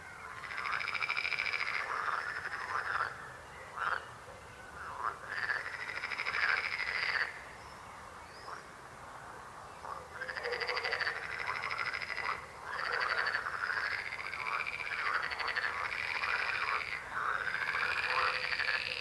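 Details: Frogs croaking in bursts: loud, pulsed rattling choruses of several seconds alternate with quieter moments, with the overlapping calls of many frogs repeating through almost twenty seconds.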